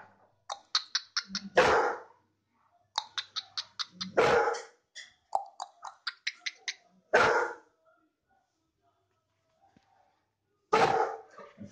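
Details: John, a Bullmastiff guard dog in Najibabad, Uttar Pradesh, gives deep, loud single barks spaced a few seconds apart, mixed with bursts of rapid higher yaps and a few spoken words nearby.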